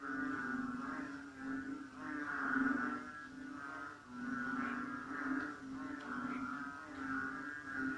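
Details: Borneo jungle frogs calling in bushes after dark at 8 pm during cold rain; a steady, buzzing drone of overlapping low croaks with gentle swells every couple of seconds, no other clear sounds.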